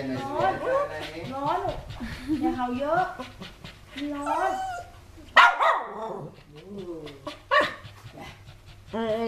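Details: Pet dog in Chonburi, Thailand, on 22 May 2012, 'talking' to a family member returning after nearly two years, as if scolding and missing him: a long run of sliding, wavering whines and yowls with people speaking alongside.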